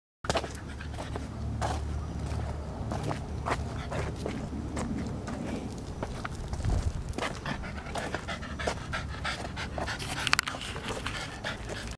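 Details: Cavalier King Charles Spaniel, about eight years old, an energetic dog looking for a new home, panting steadily in quick, breathy bursts throughout with a few sharper clicks and handling noises.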